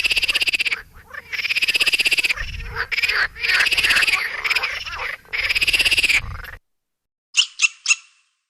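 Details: Squirrel calling with rapid, buzzy, pulsed chattering in dense bursts of one to two seconds, repeated with brief gaps. After a silent pause come three short, sharp notes close together.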